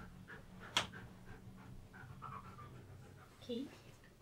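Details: Husky named Key performing tricks that help pose him for photographs; soft rhythmic panting breaths, a sharp click early on and a brief higher whine-like sound near the end, with human voices talking over it.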